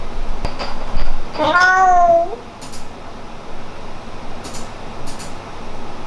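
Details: Indoor pet cat Hamu-chan, known for meowing differently to the parents than to the daughter it adores, gives one clear wavering meow under a second long, followed by quiet room sounds and soft clicks.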